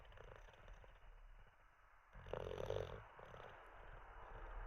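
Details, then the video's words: Teddy, a sleeping Olde English Bulldogge, breathing softly, then one louder rattling snore near the middle, followed by quiet breathing. "Six minutes of a snoring olde English bulldog"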